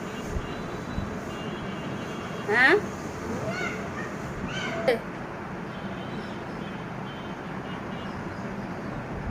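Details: A cat outside a closed room door, trying to get in, gives two short rising meows a couple of seconds apart over steady background hiss.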